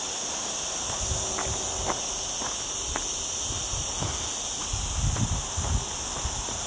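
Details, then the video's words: Continuous high-pitched cicada buzzing on a mountain hike through olive groves in lower Sierra Llana, cloudy after a hot week, accompanied by crunching footsteps on the trail and a few soft ticks. "Olive Trees and Cicada Sounds"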